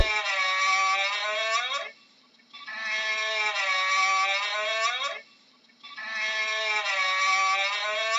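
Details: Camel calling with long, drawn-out, moaning bellows rich in harmonics, each lasting about two seconds and slightly falling at the end, repeated roughly every three seconds with short silent gaps between.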